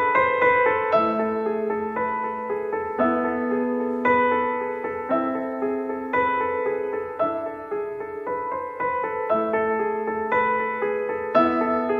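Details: Gentle piano music plays throughout, with repeated chords and a steady melody and no animal sound.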